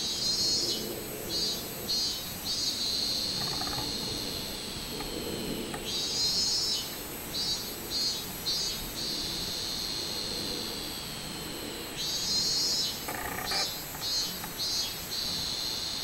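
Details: Robust cicada singing on 24 July 2016: loud buzzy high-pitched pulses in bursts of three or four quick throbs, each burst followed by a longer steady drone, the cycle repeating roughly every six seconds over a constant hiss.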